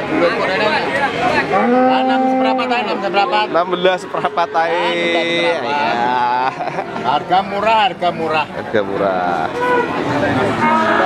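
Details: Adult feeder cattle at Pasar Sapi Wagenan market, Pati, Indonesia, on 5 March 2019; loud, sustained moos with rising and falling pitch follow one another, with people talking in the background.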